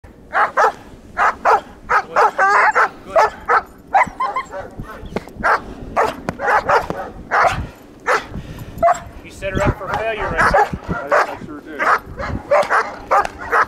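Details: German Shepherd in bite training with a bite wedge, giving rapid, sharp barks repeated in quick bursts for over thirteen seconds, with a person's voice mixed in between.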